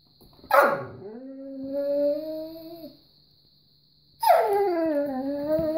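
A Weimaraner gives two long, wavering whines while begging for treats.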